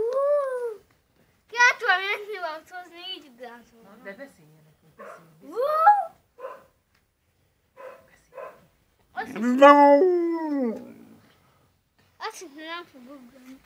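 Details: Husky dog Molly in a small indoor space makes a varied series of yowls and short grumbling sounds separated by pauses, building to one loud, long, falling howl near the end.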